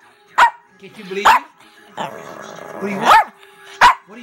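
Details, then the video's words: Female pet Chihuahua named Baby Girl talking back to get her way: four short, sharp barks spaced about a second apart, with a grumbling, whiny vocal between them and a person speaking about a treat. "Chihuahua Baby Girl Talking Back"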